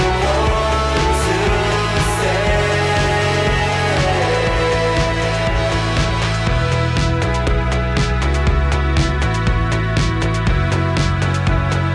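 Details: A loud music track with steady beats, sustained chords and some singing plays throughout, with no animal sound.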